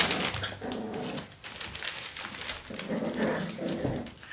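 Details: Parson Russell Terrier puppies, seven weeks old, indoors in a small room: soft low whimpering and grunting sounds come in short bursts, with scuffling and rustling noise throughout.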